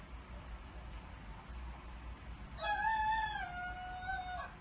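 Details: Rooster-like crowing from Bela the dog: after a few seconds of low background hum, a single sustained harmonic howl lasting about two seconds, steady and bright, dipping slightly at the end.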